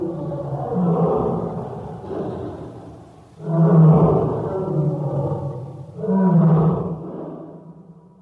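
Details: Deep tiger roars, part of a collection of calls voiced in moods of joy, sadness, hunger and anger. Three heavy, rumbling bouts come about every two and a half seconds, with strong low tones that fade between them.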